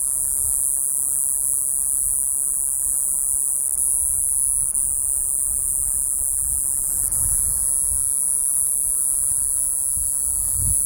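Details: Iwasaki's grass cicada, known in Miyako dialect as "Jiijii-gaara" or "Jiijii-gaasu", gives a steady, very high-pitched unbroken buzz that holds level throughout, with faint low rumbling beneath.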